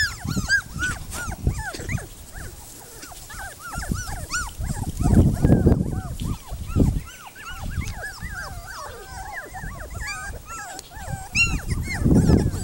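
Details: Several puppies playing in a yard, giving a dense stream of high, arching whines and squeaky yelps that overlap rapidly, with soft thumps and scuffling during the play.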